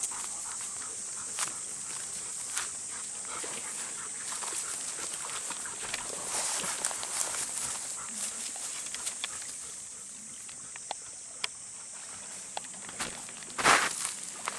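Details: Two Golden Retrievers pause at their usual spot by a river, asking permission to go down and play in the water. Soft whines and short vocal bursts sound over a steady hiss of rushing water, with footsteps and a louder burst near the end.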